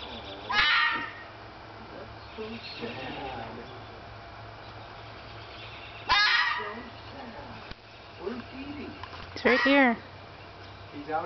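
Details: Young vixen red fox, about a year old, in a front yard in spring, crying out to a male Siberian Husky while seeking a mate; three loud, harsh, hoarse screams several seconds apart, with quiet talking between them.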